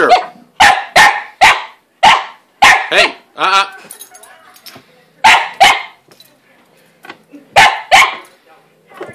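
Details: Domestic dog harassing the family cat hiding in her play house, barking at her as she swipes back with a paw; sharp barks in quick pairs and bursts, with a brief strained, whiny vocal between volleys.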